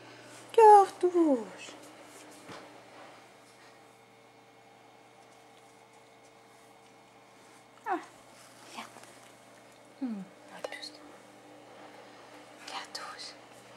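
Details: Female cat named Cartouche, said to be talking with the birds, indoors: a sharp descending meow-like cry near the start, then a few shorter falling calls spaced several seconds apart, with a woman softly calling her name.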